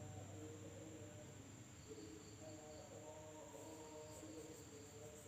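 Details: Night insects in an Indonesian village: a steady, thin high whine holds throughout, with faint pulsed buzzes above it near the end and low wavering tones underneath.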